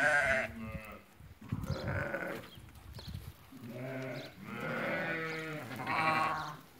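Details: Sheep, ewes that have lambed, eighty of them offered for sale at Fkih Ben Salah: a run of wavering, harmonic-rich bleats, several animals calling in turn with short pauses between, low rumbling background.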